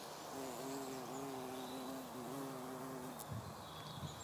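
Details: Buff-tailed bumblebee on pink common heather: a steady, low droning hum with clear overtones that wavers slightly in pitch for about three seconds, then fades, leaving faint outdoor background noise.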